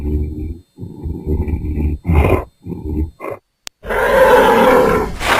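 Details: Angry bull in a pasture giving a series of deep, rumbling grunts in short bursts, broken by pauses, then a loud sustained bellow that fills the final second and a half.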